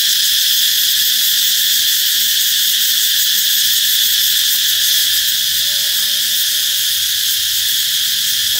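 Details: Chorus of cicadas announcing summer's arrival, an intense, high, sizzling drone with a slight rapid throb, sustained at even loudness from start to finish.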